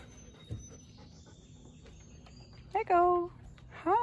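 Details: Siberian Husky kept as a pet, early morning at home: short harmonic whines, one held and falling around 2.8 to 3.3 seconds, another arching cry near 3.9 seconds, over soft room noise and faint speech.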